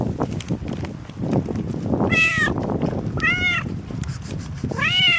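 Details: Pregnant cat meowing after morning rain: three rising-falling harmonic meows spaced about a second apart, the last longest, over a steady background of low rustling noise.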